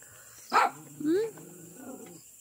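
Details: Charlie, a pet miniature pinscher, gives one sharp bark followed by a brief upward-sliding whine, with quiet room background and a person nearby talking in Filipino.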